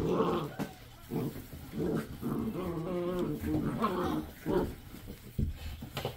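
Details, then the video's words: Seven-week-old Basset Hound puppies making continuous low rumbling growls broken by harmonic whining moans, a close, busy mix of playful puppy vocalizing indoors. "7 week old Basset Hound puppies"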